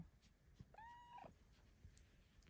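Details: Female Bengal cat giving a small morning greeting at home, a single soft, tiny meow that holds level briefly before dipping at the end, against quiet room hush.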